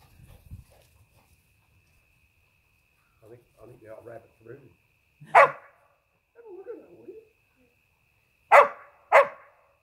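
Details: Border Collie at play, chasing and barking: scattered soft grumbles and low sounds, then one sharp bark followed later by two quick loud barks close together.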